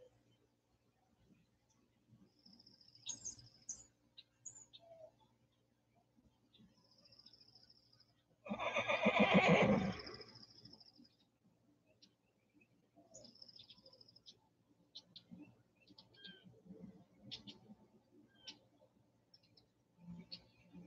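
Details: Horse in a pasture and riding ring on a very windy spring day in Michigan gives one loud, rough whinny lasting about a second and a half, with scattered bird chirps and calls before and after against a low wind rumble.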